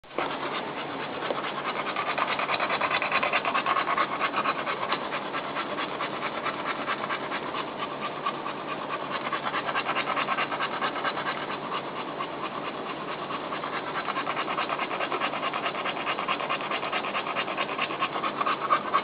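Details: Mother dog panting while trying to get comfortable with her newborn puppies; steady breathy pants, about two per second, run throughout with faint scratching and rustling as she settles.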